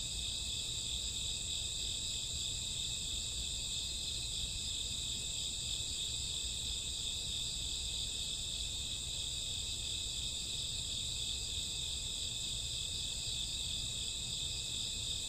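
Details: Night chorus of crickets and grassworms in summer or autumn, around midnight, a continuous high-pitched ringing trill with layered tones that never pauses, a faint low background hum beneath.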